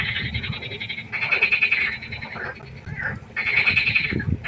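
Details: Frogs calling at night beside a pond, two bright rattling croak bursts of about a second each over a background of fainter overlapping calls and low rumble.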